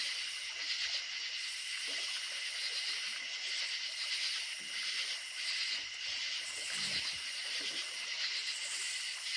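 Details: Crickets keep up a steady, high-pitched chirring chorus at night in the countryside over the rushing hiss of a running creek.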